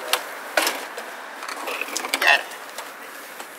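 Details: Short wooden knocks, taps and faint clatter in a small indoor room, with a few brief higher squeaky noises and no clear animal voice.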